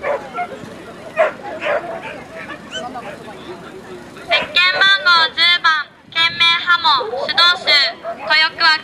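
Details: Norfolk Terrier barking in rapid repeated bursts at a show, about four barks per second, with a loudspeaker voice and crowd murmur in the first half.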